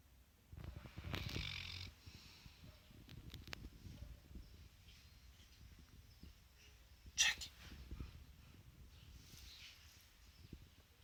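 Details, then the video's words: Central Asian Shepherd Dog (Alabai) asleep at work, snoring: rough, noisy breaths with low rumbling and a broad rasping burst early on, then quieter breathing, one sharp click near the end, faint room noise throughout. "Алабай храпит на работе!"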